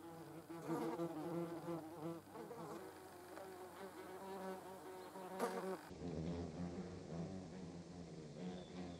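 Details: Droning buzz of German wasps, layered wing-hum tones sliding up and down, with a brief louder burst around five seconds and an abrupt change in texture near six seconds.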